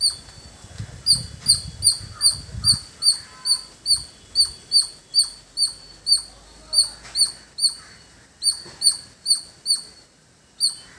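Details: A squirrel in a village repeats a piercing, high-pitched chip at a quick, steady pace, about two or three short, bright notes each second; a brief low rumble like wind or handling is heard near the start.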